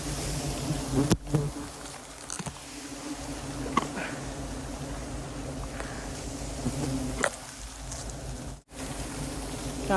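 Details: Bees around wild hives found while searching mangrove and Khmer forest; a steady low droning hum runs throughout, broken by scattered clicks, knocks and rustles, with a sharp brief dropout near the end.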